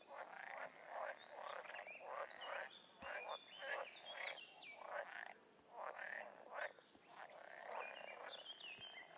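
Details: Chorus of wild frogs and toads: a string of short croaks roughly every second or so, irregular, several callers overlapping, with thin whistled upslurred notes and chirps riding above the croaking.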